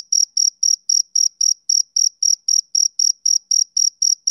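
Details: A male cricket's summer-evening chirp: evenly spaced, shrill, bright pulses, roughly fifteen of them in quick succession, with a faint upper tone and silence between.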